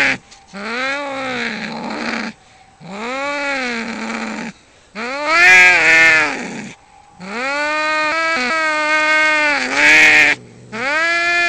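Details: Fighting cat delivers a run of strained, harmonic yowls that climb and sag, some stretched over two seconds, the later ones harsher and louder, with brief gaps between.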